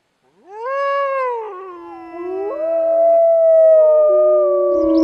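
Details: Wolf howling: a long, smooth tonal howl that rises quickly and holds, then dips, joined by a second voice sliding upward into a sustained steady tone; quiet background.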